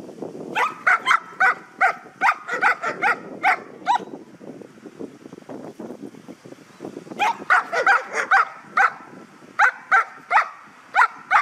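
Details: Guard dog during object-guarding training in Ha Tinh, Vietnam, barking in rapid bursts of sharp, loud barks, about two or three per second, with short pauses between series and a person shouting commands underneath.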